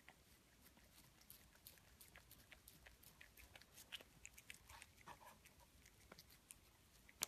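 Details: Pet cat eating food: quiet, crisp crunching and clicking bites come in irregular rapid bursts, a few sharper crunches standing out against a soft, still background.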